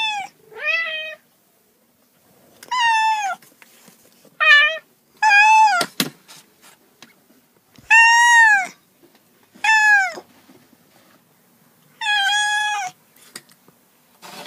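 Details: Domestic cats meowing repeatedly at irregular intervals: arched, clearly pitched meows, some paired in quick succession, with a sharp knock-like click partway through in a quiet room.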